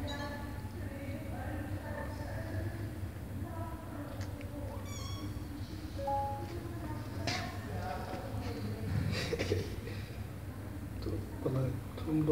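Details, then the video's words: Mother cat pleading at a closed door with her kittens on the other side; scattered short meows and one high thin mew, mixed with rustling, knocks and a persistent low hum. "Mom cat meows for me to open the door, because her kittens are behind the door"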